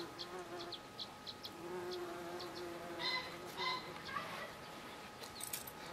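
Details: Bees on blue flowers, July 2013: a low wavering buzz swells and fades in short passes, while high thin chirps repeat in the background.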